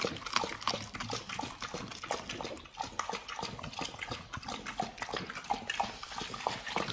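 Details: Raw-meat meal of beef chunks, quail eggs and duck wings eaten by Pit Bulls: sloppy, wet chewing and slurping sounds, continuous and fairly loud, with crisp bone crunches scattered across the stretch.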